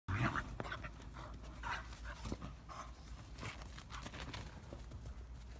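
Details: Siberian Huskies playing wildly indoors; rapid breathy panting bursts with scuffling and thumps, a few brief yelps mixed in.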